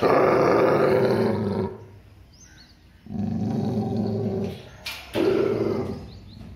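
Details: Labrador Retriever showing fear-based aggression, giving long low rumbling growls lasting over a second each, three bouts separated by quiet pauses, with a faint tap between.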